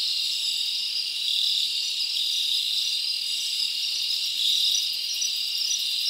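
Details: Crickets chirping at night in a summer forest: a dense, steady, high-pitched trilling chorus that runs unbroken through the whole stretch, with many insects overlapping and no other clear sounds.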